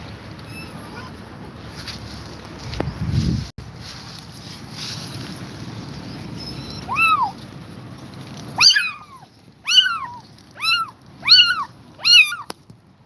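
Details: A tired mother cat stays with her kittens. After about eight seconds of low rumbling background, a run of six short, arched, high-pitched cries follows, spaced roughly a second apart and ending the recording.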